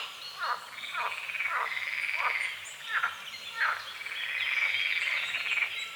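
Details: Morning frogs on a small lake at the edge of a forest, fog over the water: a run of short rasping croaks roughly every second over a continuous trilled chorus, with birds singing above.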